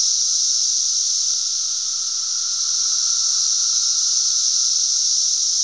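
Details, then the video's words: Cicadas recorded on June 10, 2007 in Glen Ellyn, Illinois, making a loud, unbroken high buzzing drone that holds steady throughout, with a fainter lower hum underneath. "cicadas making a lotta noise."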